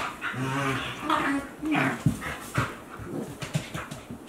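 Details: Young Akita Inu at play, one 14 months and one 2 months old, giving low moaning whimpers and short grumbles, followed by soft rhythmic huffs.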